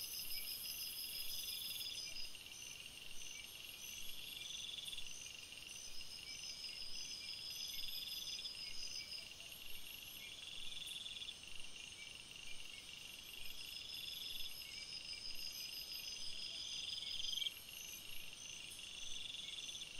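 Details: Night-time forest crickets, a layered chorus of high trills with short pulsed chirp bursts recurring every few seconds, and a brief very shrill buzz at the start.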